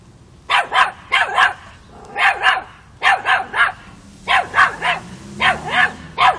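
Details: Chocolina, a 5-month-old Miniature Pinscher also known as Chiquita, squaring off against a mature cat in Kiev, Ukraine, in October 2013; loud high yappy barks in rapid bursts of two or three, repeated steadily throughout.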